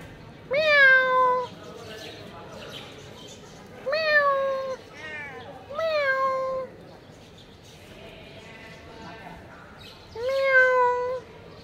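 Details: Four separate meows from a black cat spread over about eleven seconds, each lasting just under a second with a quick rise and a gently falling, harmonic tone, separated by quiet gaps with faint background noise.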